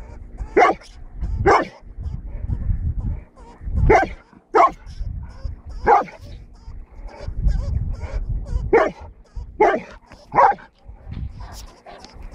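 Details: A Golden Retriever barks while hunting a lemming, giving a run of about ten short, excited barks and yips at uneven intervals of roughly one second, over low rumbling background noise.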